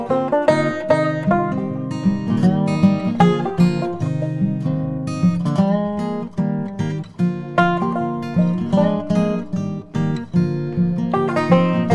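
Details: Strummed acoustic guitar music plays throughout, with no animal sounds heard.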